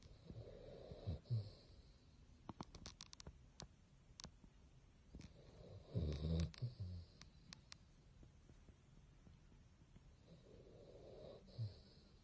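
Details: A Basset hound, Bongyi, asleep: low grumbling snores recur about every five seconds, interrupted by a series of sharp clicking or tapping noises in the middle.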